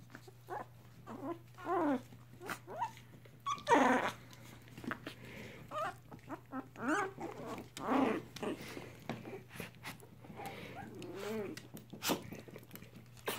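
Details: Three-week-old mixed Chihuahua puppies with their mother, indoors in foster care; short high whimpers and squeaky whines come in scattered bursts, some rising and falling, with a steady low hum behind.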